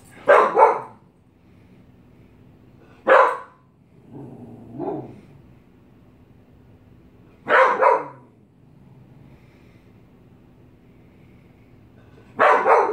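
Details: A dog afraid of a mask, barking: loud sharp barks, single or doubled, coming in bursts about every four seconds, with a lower growling sound between them and a steady faint hum in the background.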